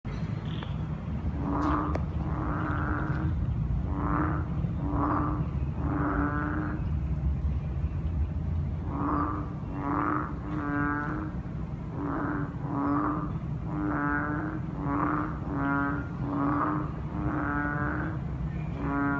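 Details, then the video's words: Frogs calling at night after a heavy downpour: short, nasal, harmonic croaks repeated roughly once a second in uneven bursts, sometimes doubled, over a low background rumble. "Frogs croak after rains."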